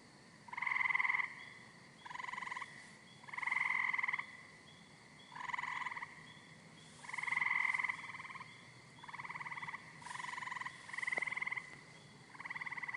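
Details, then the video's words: Green frog croaking in short bursts of about half a second to a second, each a buzzy, harmonic-rich note with a low band and a brighter upper band, repeated irregularly over a quiet background. "KATAK HIJAU || KATAK || KODOK || SUARA KATAK MERDU"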